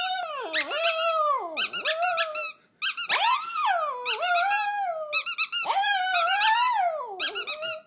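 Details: Shih Tzu singing along with a squeaky toy, repeated swooping whines that dip low and climb again in long arcs, each phase overlapped by bursts of rapid shrill toy squeaks, in a small indoor room.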